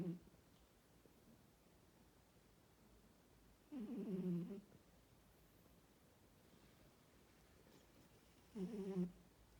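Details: A female Norwegian Forest Cat snores steadily, each breath a short, low, throaty rumble, with quiet pauses of four to five seconds between snores in a slow, sleepy rhythm.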